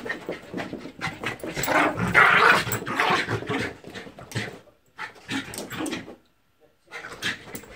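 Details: Jack Russell and Border Terrier cross dog, very excited indoors, chasing its tail and dashing past; loud, rapid breathy panting, uneven and strongest early, briefly quiet near six seconds, with a little speech in the background.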